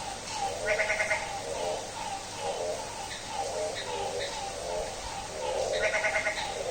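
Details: At midnight on a rainy day, a frog gives nasal, bleating, goat-like calls, repeated in quick pulses over steady rain.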